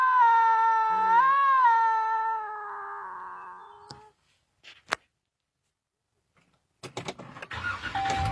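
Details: Lynx scream from two lynx facing off: one long, wavering, nasal wail that rises sharply once then sinks and fades over four seconds, followed by silence, a few clicks, and rustling noise.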